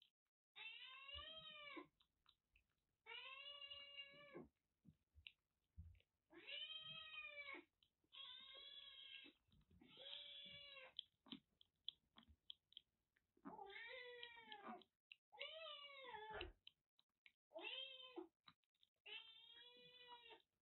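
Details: A cold-stricken kitten, rescued drenched in record rainfall in western Japan and recovering under treatment at a Kagoshima kitten nursery, cries insistently: about eleven arched, bright meows over twenty seconds, each roughly a second long, some rising then falling, with small clicks between them.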